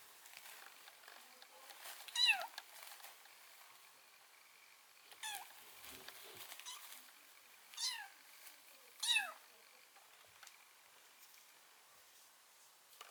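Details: Indoors, a white kitten taken in after being found near death at the front door in winter gives four separate bent, downward-sliding meows spread over about ten seconds, with quiet pauses and faint room noise between them.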